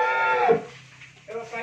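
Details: Dairy cow, one of the Mundi, Holstein Friesian and Jersey cows at a dairy farm in Bhangura, Pabna, Bangladesh, ending a short, falling moo within half a second, followed by a man's voice speaking nearby.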